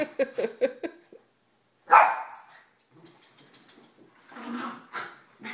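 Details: Three pet dogs, a Mini Schnauzer aged eleven, a nine-year-old female Basset and a two-year-old Yorkie, romping during the morning routine. Four quick sharp barks open, then a loud yelp and scattered low grumbles and whines.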